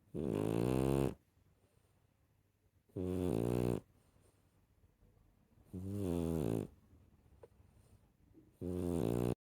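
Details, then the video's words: Rescue puppy snoring in a small room, four coarse rattling inhalations spaced evenly about every three seconds, each about a second long. "share the snoring"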